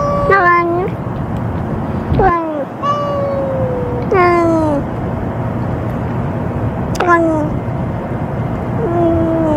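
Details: Ear-tipped stray cat at a feeding, 'talking' as it eats after a threat from another, already-fed cat; five short meows falling in pitch, spaced a few seconds apart, over a constant low outdoor hum.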